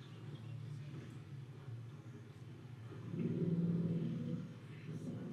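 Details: A family of elephants gives deep, throbbing greeting rumbles to say hello to one another, swelling louder for a moment. These very low-frequency rumbles travel long distances and are partly below human hearing.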